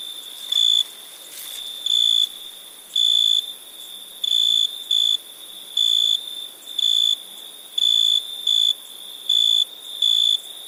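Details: {'caption': 'Cricket at night in India giving sustained high pure-toned trills, about half a second each and repeated irregularly, sometimes in close pairs, over a constant background insect drone.'}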